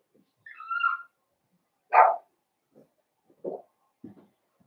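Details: Blenheim Cavalier King Charles Spaniel puppies from a litter of five born at New Year, kept in an indoor puppy pen. A brief high whine is followed by one sharp yelp-like bark, then several soft, low snuffling grunts.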